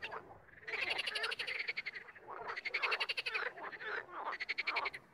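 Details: Frogs calling, at times together and at times one by one: three long rattling bouts of fast pulsed croaks, each lasting around a second, separated by short quieter pauses.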